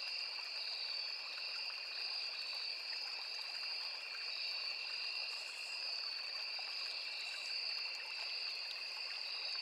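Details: A high, droning trill from crickets fills a forest by a small river, unbroken and even, with occasional faint higher buzzes and a steady babbling of water below.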